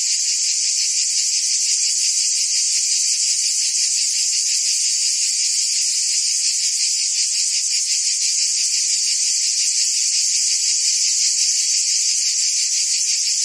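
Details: Steady, shrill cicada drone from forest trees, a thick high buzz with a slight rapid throb that never pauses or changes level across the whole stretch.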